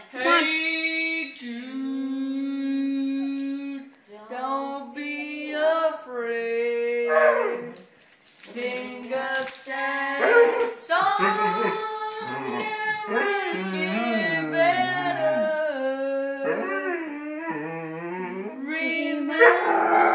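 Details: A Basset Hound gives drawn-out, mournful, wavering howls that rise and fall, loosely following a person singing "Hey Jude"; the notes swell, break off, then resume.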